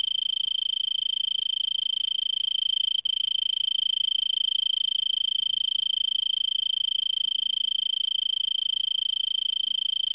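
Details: An Arizona tree cricket sings a steady, high, unbroken trill from a brittlebush in Vail, Arizona, at 3300 ft, around 5 PM on December 26 at about 70°F, before sunset, after an hour of singing.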